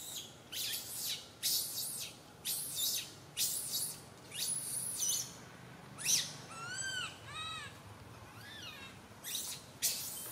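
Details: Infant monkey Santo wails on a tree branch, his mother Sara unable to care for him; a string of rasping high screams, then several clear arched whistly cries rising and falling near the middle.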